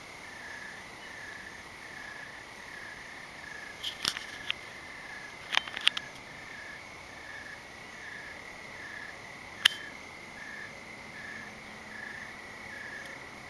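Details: Crickets calling at night in the evening dark under thick clouds: a steady, high, pulsed trill that runs unbroken through the whole stretch, broken by a few sharp clicks and knocks from handling near the middle.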